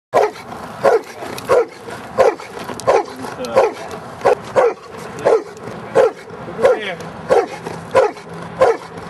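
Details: Giant Schnauzer, almost three years old, during Schutzhund training, barking steadily in sharp, even barks roughly every 0.7 seconds, with faint background noise between barks.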